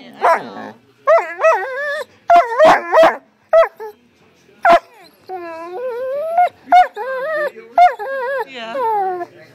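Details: A female Great Dane seeing herself on camera for the first time: sharp short barks and yips mixed with drawn-out, bending whines, delivered in irregular loud bursts across the recording.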